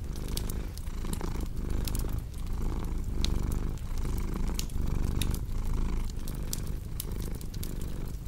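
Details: Low, even purring from a domestic cat, each rumble lasting under a second before the next breath, mixed with crisp crackling of a fireplace.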